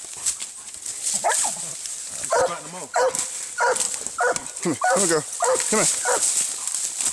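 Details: Treeing Walker Coonhound fighting a raccoon, giving a rapid string of harsh, harmonic barks and yelps, some sliding downward, roughly one or two per second, over a steady high hiss.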